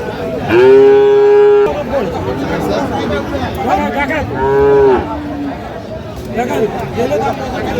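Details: Moos from Sahiwal bull calves at a Munshiganj cattle market in Bangladesh, 9 August 2025: two steady, resonant moos roughly three seconds apart amid buyers talking and haggling over price, with busy market chatter throughout.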